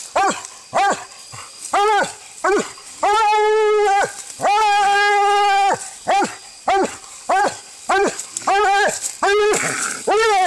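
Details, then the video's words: During a coon-hunting fight, a Walker hound alternates quick arched barks with two long, level bawling howls in the middle, then returns to rapid choppy barking; outdoor hiss underneath. "Coon hunting Walker Hound fight"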